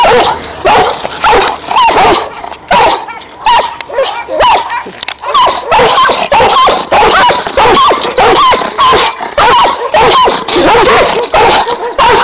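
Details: Loud Giant Schnauzer guard dogs bark in rapid succession, deep and harsh, with overlapping voices and short gaps between bursts.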